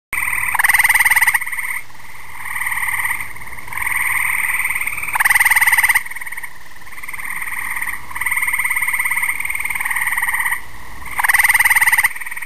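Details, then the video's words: Gray treefrog (Hyla versicolor) gives loud, musical, pulsing trills every few seconds, with fainter trills from others between. "Gray/Grey treefrog (Hyla versicolor) calling"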